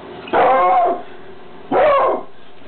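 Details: A female Bluetick Coonhound gives two deep, drawn-out barks with a slight rise and fall while her owner tells her to sit.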